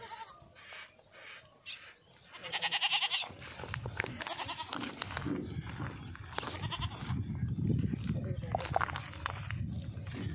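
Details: Running goat uttering one wavering, nasal bleat followed by a stretch of rumbling, shuffling noise and scattered knocks.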